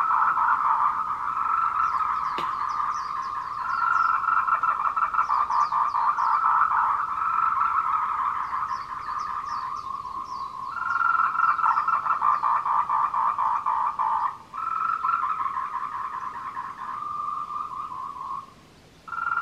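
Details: Tree frogs giving courtship calls at 14:00 on 26 April 2018 on the Meiling Wulong trail, Nanxi, Tainan, Taiwan, filmed with a Canon PowerShot. A dense chorus of rapid, pulsed mid-pitched notes briefly pauses near the end. Thin high chirps and one sharp click are also heard.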